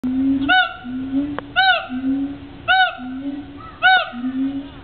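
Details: Gibbons at the Cincinnati Zoo: a low, slightly rising hoot alternates with a sharp arched whooping note with bright overtones, the pair repeating about every 1.2 seconds, four times, loud and close.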